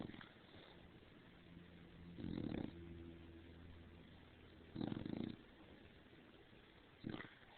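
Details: Female dog Stargazer Lily Rose, overheated from lying under the covers, gives her loudest snores yet after poking her head out: three harsh, rumbling half-second snorts, spaced about two and a half seconds apart, over a soft indoor hum.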